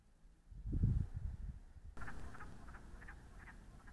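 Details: Wood frogs calling in central Alberta, northeast of Edmonton, captured by a trail cam alongside other wildlife, give low, hoarse clucking croaks in a quick irregular chatter, with a burst of deep rumbling noise early on.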